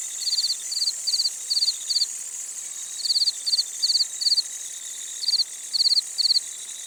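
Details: Village crickets calling after dusk, with green grasshoppers also present: clusters of rapid clicking chirps, three or four pulses each, in uneven groups separated by short pauses above a constant high-pitched insect hum.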